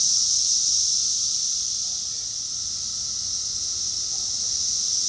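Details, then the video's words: Summer cicada chorus in Rockville, Maryland, USA, recorded June 2021: a dense, continuous high-pitched buzzing drone, steady in loudness throughout with a faint pulsing texture, no other clear sounds. "Cicadas song || Cicada's chorus song"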